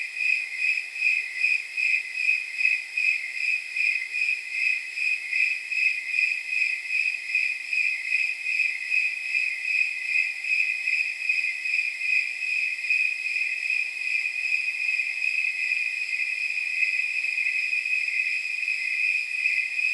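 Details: Snowy tree crickets chirping through a warm night of about 79 degrees: regular bell-like pulses that are distinct at first and later blend into a smoother, near-continuous high trill, with no other sounds.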